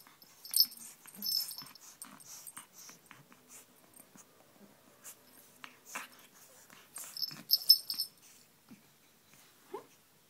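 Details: Pet pug playing roughly with a pink toy rabbit, with short harsh snorts and wheezing puffs between quiet gaps and shrill squeaky notes in two louder clusters.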